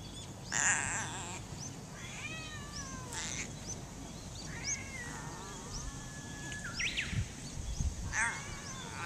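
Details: Talkative wild cat at Funakoshi, Japan, answering a person with a run of meows, one long level drawn-out cry among shorter bent ones, above a rumbling outdoor background.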